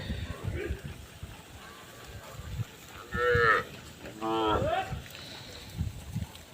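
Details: Many cows grouped in one place on a road. After several seconds of low rumbling and thuds, two loud moos come close together, about half a second each, the second bending upward at its end.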